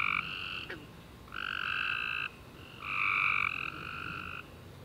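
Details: Tree frogs singing on a summer night after warm rain: three long, harsh, buzzy trills held at a steady pitch with short pauses between them, and one quick falling chirp early on.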